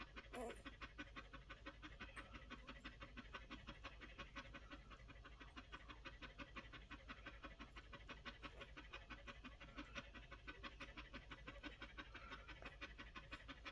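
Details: Collie puppies aged one week, breathing in fast, even pants of about ninety puffs a minute, a steady rhythmic huffing that continues almost unbroken after a brief squeak at the start; room quiet otherwise.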